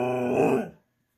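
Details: Female Siberian husky talking back after being told no, wanting her treat: a short, low, harmonic groaning vocalization lasting under a second, swelling slightly in the middle before cutting off into silence.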